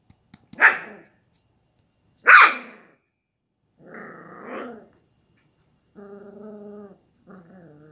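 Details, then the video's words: Samoyed puppy letting out two sharp high barks, then a softer drawn-out whine and a steady, tonal whimpering note near the end, indoors with little else heard. "아기 사모예드"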